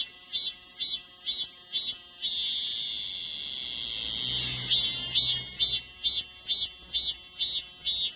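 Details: Korean cicada singing a run of sharp, evenly spaced shrill pulses, a sustained high whine, then more rhythmic pulses at about two per second.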